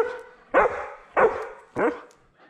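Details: German Shepherd service dog named Nala, left home alone and wearing a GoPro camera indoors, gives three loud, deep barks spaced roughly 0.6 seconds apart, each short and forceful with a quick fade, in an otherwise quiet room.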